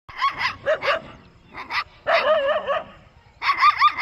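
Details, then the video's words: Puppy and dog in a peaceful village, giving short high yelping barks in quick pairs, then a longer wavering whine-like yowl, then more sharp yips. "Cute Puppy Funny 🤣 Satisfying Sound campair with Dog in peaceful village life"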